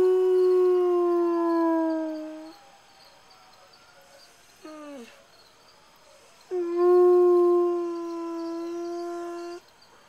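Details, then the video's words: A hound gives two long, steady, mournful howls, separated by a brief dropping yelp, on hearing sirens in the distance, 13 September 2011. "Hound Dog Howl to Chris."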